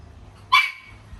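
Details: Miniature Pinscher x Chihuahua dog, a first-time mother in labour, gives one sharp, high yelp after about 30 minutes of restless panting, before her first puppy is born.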